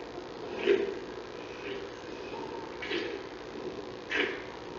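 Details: Newborn giant panda cub of Mei Xiang at the National Zoo, born August 21, hiccupping: short soft squeaky bursts roughly every second or so, four in all, over a steady low room hum.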